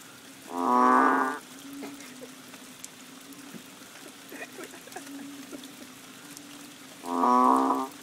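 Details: Banded bullfrog chorus behind a Koh Lanta bungalow, Thailand, in the rains of March: a booming, nasal moo near the start and another about six seconds later, with faint insect ticks and a steady hum between.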